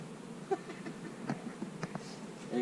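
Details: Buzzing of honey bees while hives are being split, with queen cells in the splits; a soft, even hum carries throughout with scattered light ticks, and a brief higher tonal sound and louder noise at the end.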